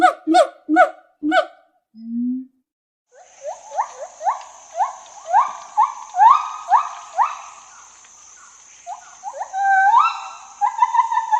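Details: Opens with a few loud, rich stacked notes and a low short hum. Then gibbon whoops build, rising notes growing louder and closer together before trailing into wavering trills, with a steady high hiss behind.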